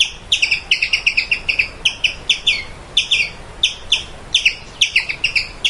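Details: Squirrel giving sharp, high chirps in quick bursts of three to five, about twenty-five notes in under six seconds, each note bright with stacked overtones, over a faint low hiss.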